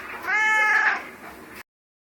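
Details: Pet cat that often gets stuck in trees and then complains, giving a single drawn-out meow, clear and tonal, rising slightly then sliding down over about a second before fading, just after being coaxed to say bye.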